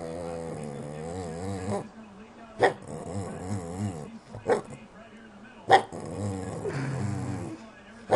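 A Boston Terrier gives drawn-out whines that waver up and down, sliding between low grumbling and higher moaning notes. Brief sharp knocks interrupt the vocalising a few times.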